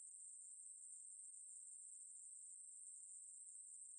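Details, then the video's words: A short stretch of a Ruspolia katydid's song, from the National Institute of Biological Resources, 2020: a piercing, level, uninterrupted buzz lasting four seconds. "매부리, 여러번 듣기, 곤충소리"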